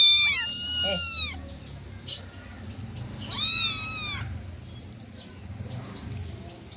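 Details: Kitten or young cat being played with and fed: two high, thin drawn-out meows, each falling slightly at the end, about three seconds apart, over steady background music.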